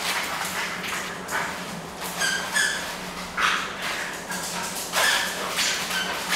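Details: At play indoors, an energetic Bull Terrier lets out short, high-pitched whines, a pair near the middle and another later, among shuffling, thudding movement sounds.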